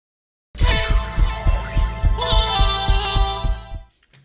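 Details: Only music is heard, a rich chord with a steady thumping beat, and no animal sounds.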